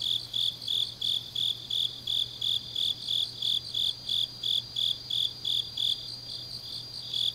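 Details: Deep autumn night chorus of grass insects in Changnyeong, South Gyeongsang: bright, shrill pulses repeating evenly roughly three per second, a continuous thin higher ringing behind them and a soft low hum underneath.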